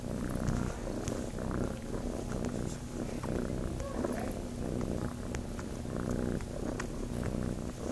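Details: Kitten named Chase at Starlight Farm, seeking to nurse, gives a continuous deep purr, a fast rhythmic vibration that pulses evenly throughout, with small scratchy handling noises on top.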